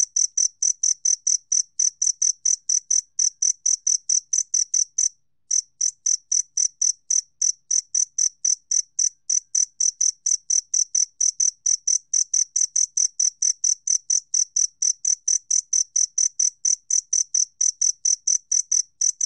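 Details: Two-spotted cricket giving a long, unbroken series of sharp, high-pitched chirps at an even pace. There is one brief pause near the five-second mark, then the same ringing pulses resume without any other sounds.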